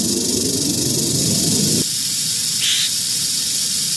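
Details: Rattling eastern diamondback rattlesnake from Central Florida, a constant high sizzling buzz; low rumbling noise stops abruptly partway through, leaving the dry rattle alone, with a brief faint chirp near the end.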